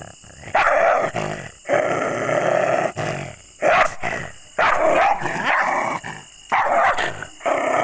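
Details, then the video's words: Angry, aggressive dog barking: harsh, rough barks and growling bursts, each roughly half a second to over a second long, coming in irregular bouts separated by brief pauses. "ANGRY Dogs Barking Sound Effects (Aggressive Dogs Barking)"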